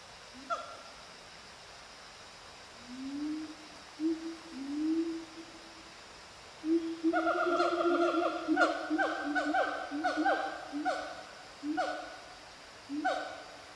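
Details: A Siamang family group in trees in montane rainforest at Fraser's Hill, Pahang, Malaysia, on January 19, 2018 around 11:28, calls in a loud chorus of rising whoops building into rapid, ringing barks.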